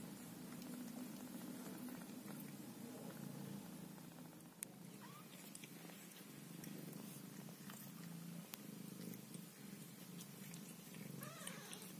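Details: Scottish Fold mother cat tending her kittens, purring steadily throughout in a low, even, rumbling drone, with a faint short meow near the middle and another near the end.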